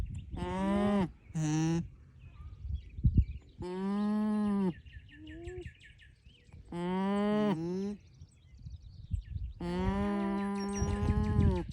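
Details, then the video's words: Alpacas humming and making funny noises: a series of steady, nasal, tonal hums, each lasting about one second and some ending in a short upward bend, separated by brief quiet gaps with faint background noise. "Alpacas talking, humming, and making funny noises"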